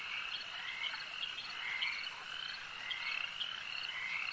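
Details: Brief lakeside frog chorus: numerous overlapping croaks and trills merge into a constant buzzing texture, with a handful of clearer chirping notes near the end.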